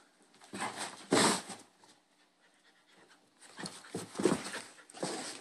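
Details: Bull Terrier puppies play-fighting indoors, the younger brother picking on the older one: rough bursts of panting and snorting grunts, a loud scuffle near one second, a quiet pause, then more huffing bursts toward the end.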